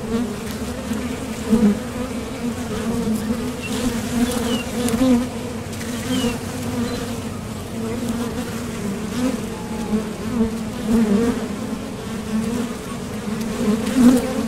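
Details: Foraging honeybees flying in and out of a top bar hive entrance produce a constant low drone, rising in short bursts as individual bees zip past, with occasional faint high tones.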